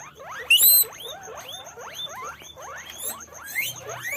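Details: Guinea pig (Cavia porcellus), squeaks.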